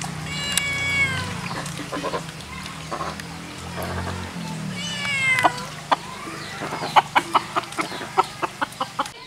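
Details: Meowing from a white cat, with two wavering, downward-curving harmonic cries near the start and middle, then a run of sharp regular clicks, all over a low humming background.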